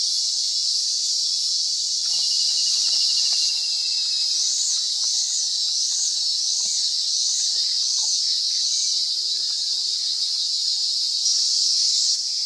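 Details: High, arched chirps, roughly four a second, run for several seconds from a Fluorescent Pumpkin Toadlet (Brachycephalus rotenbergae), recorded in October 2022 at Mata da Camara, Sao Roque, Sao Paulo state, Brazil, partly masked by a constant shrill insect chorus.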